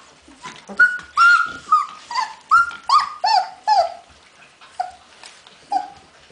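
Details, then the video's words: Hungarian Vizsla puppies recorded 15 February 2011 whimpering in a rhythmic series of short, falling whines, roughly two per second, each sliding downward and gradually growing softer toward the end. "puppies magyar vizsla"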